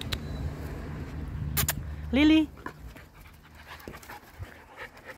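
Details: Dog puppies 2.5 months old: a single short whine that rises and then holds steady for about a third of a second. A person speaks softly and there is a low rumble in the background.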